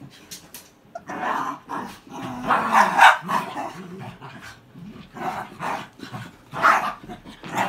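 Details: Cairn Terrier dogs in a play fight, second round: rough, low growling bursts mixed with short snarls and yaps, in irregular clusters every second or so, loudest around the middle and near the end, with scuffling between.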